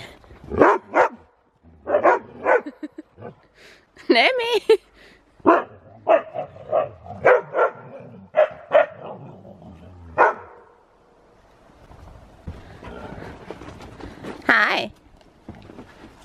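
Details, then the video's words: Excited Siberian Husky in falling snow, tearing about with another dog during zoomies; many short barks and yips scattered irregularly, with some rustling and a loud burst near the end. "Husky goes crazy in the snow! |Husky Zoomies|"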